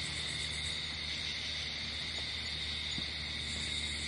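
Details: Crickets at night outdoors in nature, a steady high continuous trilling chorus holding two even bands throughout, with a faint low hum and a few soft clicks underneath.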